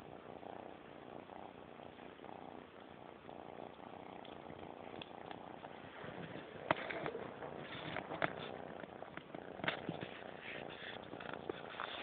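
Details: An 11-week-old kitten purring while eating pate, a steady low rumbling purr throughout, overlaid with wet chewing and licking clicks that grow more frequent in the second half.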